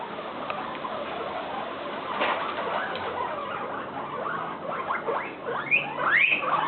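A guinea pig squeals loudly in a run of shrill, rising squeaks and chirps.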